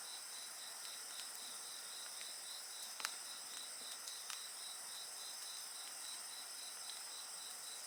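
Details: Several insects calling together beside a bonfire: a steady high shrill hum with a fast pulsing chirp layered over it, and sharp crackles and pops from the fire now and then.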